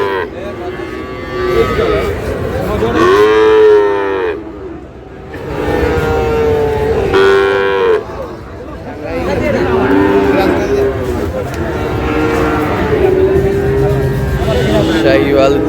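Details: Sahiwal bull calves being bought and sold as the Ambari market in Dinajpur opens, 12 June: three long, droning moos, each about two to five seconds, rising slightly then falling, with people talking in the background.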